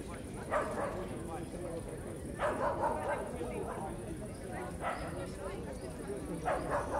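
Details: Dog barking in a crowded park on an evening at Starokyivska Hill, Kyiv; short bursts of barks roughly every two seconds rise above steady crowd chatter, with a constant high-pitched hiss in the background.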